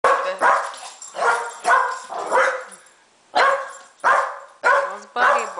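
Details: A Boston Terrier that hates the camera gives a string of short, harsh, yelping barks in quick bursts.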